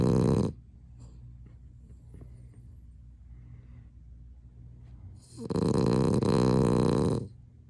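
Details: French Bulldog asleep, snoring loudly in bursts: a rasping snore ends, about five seconds of quiet breathing and faint rustling follow, then another deep, buzzing snore lasting nearly two seconds.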